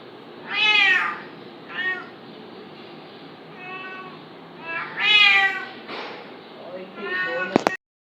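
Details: Cat squabbling with a kitten indoors: several drawn-out, strained meows, two of them louder and rising-falling, interspersed with softer shorter mews, ending in a sharp click.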